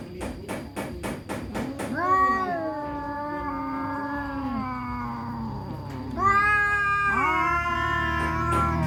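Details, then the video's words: An orange cat and a black cat fighting, village cats; a burst of rapid clicks and scuffling, then long wavering moaning yowls that slowly fall in pitch, followed by a rising, louder yowl after a brief pause. "Kucing oren vs kucing hitam berantem"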